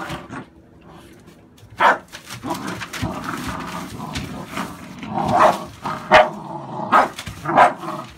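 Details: American Staffordshire Bully dogs, puppies born 11/16/2017: a single bark, then a quieter muddled stretch, then a closing series of four or five quick, punchy barks spaced under a second apart.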